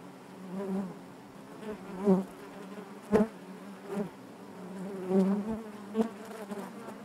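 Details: Inside a honey bee hive, a continuous low droning buzz broken by sharp clicks and louder swells as single bees pass close, roughly every second.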